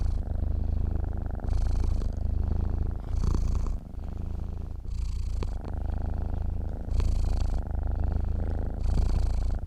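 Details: Sleeping cat purring steadily, a deep continuous rumble that swells and fades with each breath, about every two seconds, in a quiet indoor setting.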